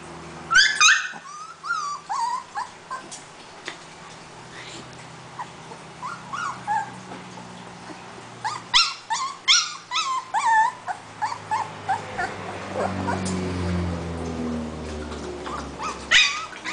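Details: Husky puppy, female and described as the talkative one, whining again: high, wavering whines and yelps in short bursts, some sliding up and down, with breathy pauses and a low background hum.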